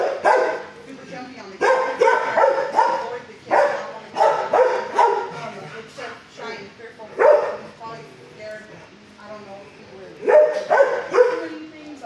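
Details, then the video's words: Fozzie Bear, a six-year-old dog in kennel 19 at the HSSAZ shelter, barks at first before calming. Bursts of rough, harmonic barks come in irregular clusters, with hollow kennel echo between them. "at 1st he barks but calm neighbor showed way"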